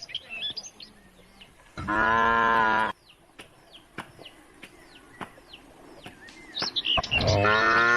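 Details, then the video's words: Cows heading home to the barn along country roads: a single full, one-second moo, then repeated downward bird chirps and sharp clicks, and another cow call rising at the very end. "the sound of cows roaming the country roads calling the herd home to the barn"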